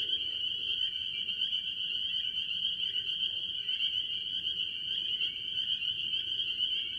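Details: Many tree frogs, mostly spring peepers, calling from a farm pond early in the year. A dense chorus of high, shrill peeps blends into one unbroken ringing tone, with fainter short pulsed notes beneath and a low background rumble.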